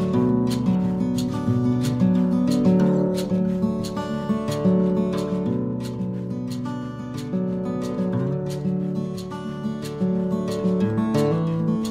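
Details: Strummed acoustic guitar plays a steady rhythmic accompaniment with no animal voices present.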